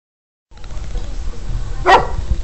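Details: Border Collie named Jess, a pet dog trained to count to ten by barking, gives a single sharp bark near the end after a short stretch of low background noise; a person speaks the dog's name afterwards.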